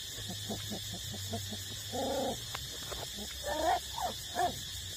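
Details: Eight-week-old puppies still nursing from their mother give short whimpering yips and whines, a few rising squeaky notes near the end over a steady low hum and soft background rustling.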